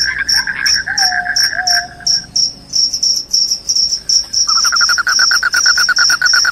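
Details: Loud crickets, claimed to repel rats and make listeners drowsy, give rapid pulsed chirps. A continuous high-pitched ringing runs throughout, and a short gap is followed by a new fast, even trill at a slightly lower pitch.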